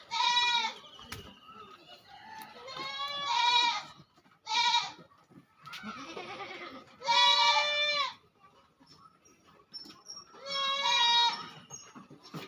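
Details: Goats on a farm in West Bengal, India, where fifteen goats are kept: five loud, wavering bleats, each one to two seconds long, separated by pauses of a few seconds, with faint rustling and a brief murmur between calls.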